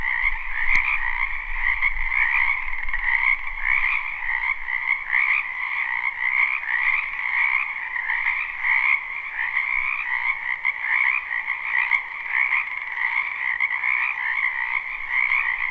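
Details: Many frogs croaking together in a wetland during spring, captured live with no looping: a steady, shimmering wall of trills that pulses slightly, with a low rumble and a click early on.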